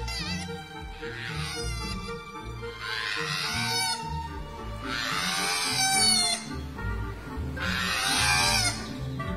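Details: At an Australian sanctuary, a female koala on the ground gives three loud, rasping, wavering screeches, each over a second, while scratching to fend off a chasing male outside mating season; background music plays steadily underneath.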